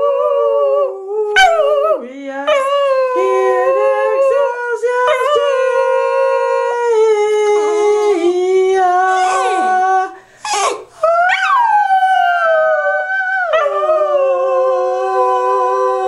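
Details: Border Terrier dog singing along to the Christmas carol Angels We Have Heard on High with a woman: long sustained tonal howls that slide and waver in pitch, nearly continuous, with a brief pause and short yelps near the end.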